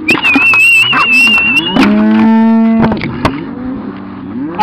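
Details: Cattle being moved to new pasture by a Cattle Dog and a second dog, driven slowly rather than rushed. A single low, drawn-out moo sounds mid-clip, preceded by a long steady human whistle and shouted commands.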